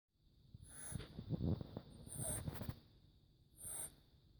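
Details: Max, a four-month-old kitten who snores quite a lot while acting completely normal, gives rough, rattling low breaths in uneven bursts, each carrying a thin high whistle, with a quieter wheezy breath near the end.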